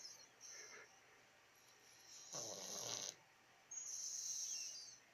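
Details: Soundly sleeping cat snoring: two airy, hissing breaths, the second longer and steadier, over a quiet room background.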